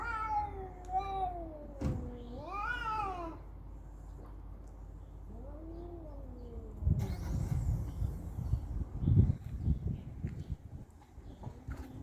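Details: Fighting cat caterwauling: a descending wail, then a sharp rising-and-falling yowl, a softer arched moan, and finally bursts of scuffling noise and thumps.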